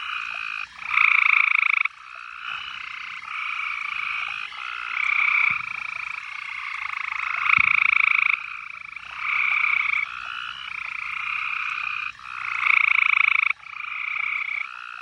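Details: Summer-night frogs calling loudly from the trickling water of a horse trough at dusk; sustained trilled phrases at two pitch levels overlap in swelling bursts lasting one to two seconds, plus a single sharp knock midway.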